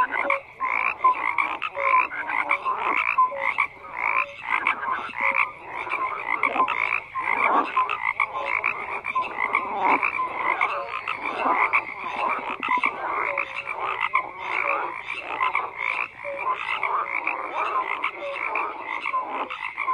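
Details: Long stretch of frogs croaking in chorus, a dense pulsing wall of rasping calls with recurring short whistles and no other sounds.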